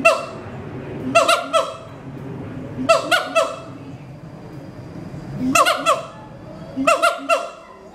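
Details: At Schmutzer Primate Center, an adult mated siamang pair sings its territory-advertising duet: loud triple barks, each ending in a descending glide, repeated in bursts about every two seconds with quieter gaps between.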